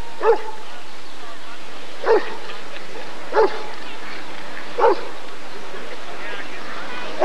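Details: Rottweiler barking repeatedly during the 1994 ADRK Körung, short loud woofs roughly every one and a half seconds, five in all, with low chatter from a crowd behind.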